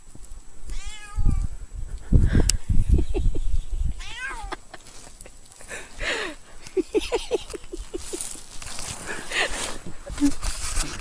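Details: A cat moving through deep snow, burrowing in and out, gives three short, bright meows spaced a few seconds apart, between loud crunching and scuffling in the snow.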